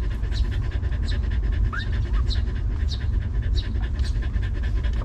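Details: Stray mother dog with her puppies, given food and shelter: quick, even, breathy panting about three puffs per second, with a couple of short rising squeaks near the middle, against a continuous low rumble.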